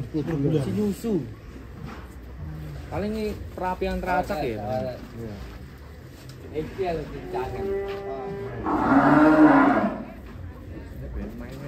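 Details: Deep, sustained moo from the giant cow Ken Arok Bimasakti, prepared for a DKI Jakarta cattle contest. The single bellow rises out of people talking nearby and fades after about a second and a half.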